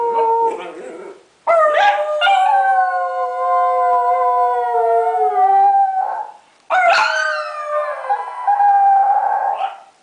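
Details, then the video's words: A female Chiweenie starts howling while her owner plays with her, giving short yips and then long, wavering notes that slide slowly downward. "How to make your dog howl"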